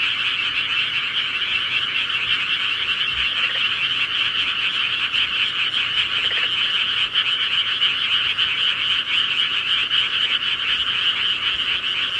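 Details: At night in the countryside, a massed frog chorus of high, rapid, trilling croaks holds steady and unbroken from start to finish, with a few faint low knocks.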